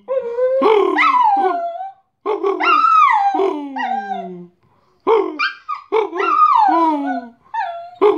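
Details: Bosco, a pet dog, singing when he gets the post: expressive howls that swoop upward and slide down in long curving wails, interspersed with short yips, delivered in two main bursts with a quiet gap between.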